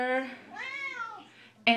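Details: Female Siamese cat indoors meowing along with her owner's Les Misérables song: the woman's sung note gives way to a long arched meow, then a brief burst of singing returns.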